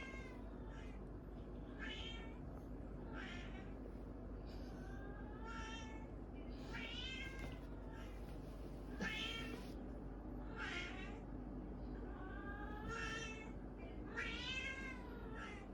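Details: Orange cats squaring off deliver a long run of loud, wavering meows roughly one per second. Many arch upward then sag, some strained and noisy like yowls, over a continuous low hum.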